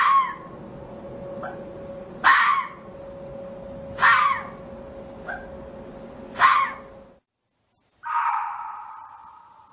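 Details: Red fox barking, sharp short barks about every two seconds with softer yips between, over a steady humming tone, then a drawn-out lower whine.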